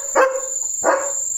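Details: A German Shepherd, Leo, gives two deep, gruff barks about half a second apart at night, seemingly reacting to the steady cricket trilling.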